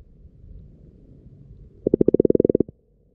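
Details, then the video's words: Underwater recording from a pond at frog-spawning time: quiet rumbling background, then a single loud, rapid run of about fourteen low pulsed croaks lasting under a second. "Frogs Croaking in the Pond, Underwater with the Frogs"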